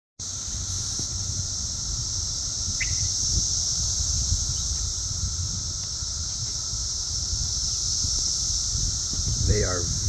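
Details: Periodical-style cicada chorus in the south suburbs of Chicago, Illinois, on June 3, 2024, insects very loud and flying around: a steady, dense high whine holding without a break, with a brief bird chirp and low rumble of wind beneath.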